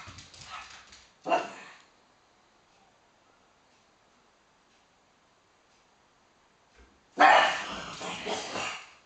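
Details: Pugs playing for the top of a sofa, one becoming very cross after the other gains the high ground. Harsh noisy barks near the start, a long quiet pause, then a loud rough burst of barking and grumbling near the end.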